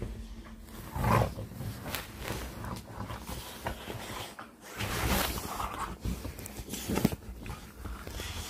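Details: Play-fight on a bed by an American Bully, giving gruff, throaty growls in uneven bursts, with a loud roar-like surge early on and another around the middle, mixed with huffing breaths and rustles.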